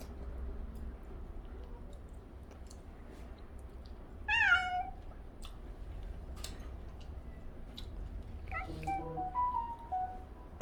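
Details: Cat meowing indoors while people eat roast chicken; one clear falling meow near the middle, then softer broken mews toward the end, over a low hum with scattered clicks and faint voices.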